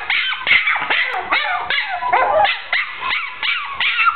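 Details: Pet dachshund with a short brown coat yelping excitedly: sharp, bright yips in quick succession, roughly two or three per second, some rising and falling like whines, little else audible.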